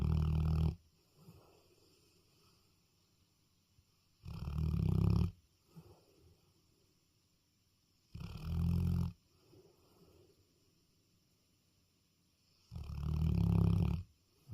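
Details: Sleeping dog at night gives heavy, low, rattling snores, four long inhalations spaced about four seconds apart, with soft whistly breaths in between.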